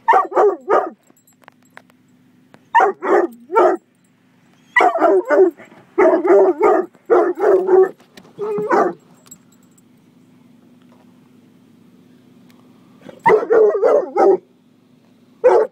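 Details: Coonhound mix barking at a car wash while protecting its owners, giving clustered bursts of loud, harsh barks separated by short pauses, over a steady low machinery hum.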